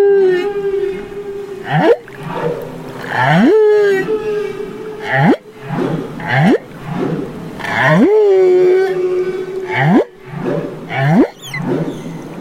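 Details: Baby humpback whale in Banderas Bay, Mexico: steady tonal moans near mid pitch alternate with sharp rising upsweeps and brief buzzy bursts, a phrase repeating roughly every two seconds, with faint higher harmonic whistles above.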